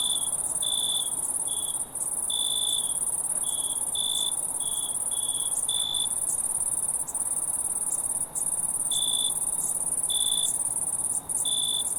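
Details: Wild crickets in chorus, a constant piercing trill underneath and irregular chirp pulses on top, clustered in the first six seconds then spaced more sparsely, separated by pauses.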